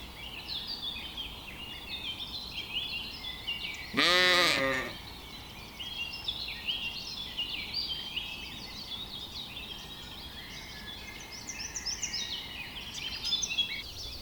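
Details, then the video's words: A single quavering bleat, just under a second long, rises from lambs grazing in a cool green forest, set against a steady chorus of high twittering birds. "Cute little lambs graze in the cool green forest - Sounds of sheep bleating"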